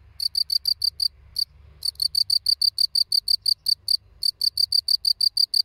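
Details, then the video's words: Field cricket (Gryllus campestris) chirps steadily, short shrill pulses repeated about three times a second. "Świerszcz Polny (Gryllus campestris)"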